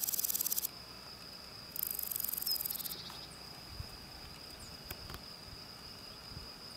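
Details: Grasshopper song on a spring day. Two short, rapidly pulsed, high rasping bursts about a second apart over a steady thin high-pitched whine. A few faint clicks and taps follow in the quieter second half.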